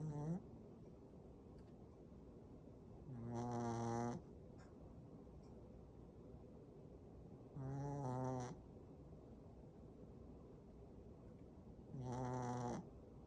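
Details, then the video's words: A sleeping Shih Tzu snores, which grows louder when the dog is tired. Three droning, buzzy snores, each about a second long, come regularly about every four to five seconds, with near silence between them. "시츄 코골이"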